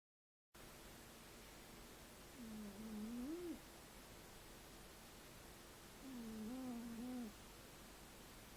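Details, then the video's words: Sleeping pet cat snoring: two slow, low wavering moans with faint harmonics, each about a second long, spaced several seconds apart over soft steady background hiss. "Кот храпит"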